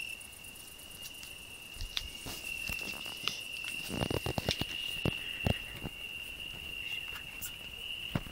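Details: Cricket on a rose bush, sharing it with a singing grasshopper: an unbroken high, thin ringing trill runs throughout, overlaid by rustling, crackling leaf and thorn noises nearby.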